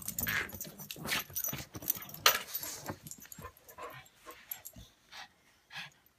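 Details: English mastiff Patton and pug Buster in a mock fight: dense snorting and growly grumbles early, fading to sparse snuffles and breaths toward the end, with a light jingle like tags.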